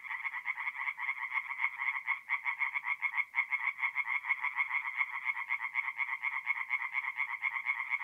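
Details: Tree frogs in song by a forest pond at night in mid-April, north-east Italy; several animals give rapid, pulsing croaks in an unbroken, slightly uneven rhythm, with brief dips where voices overlap.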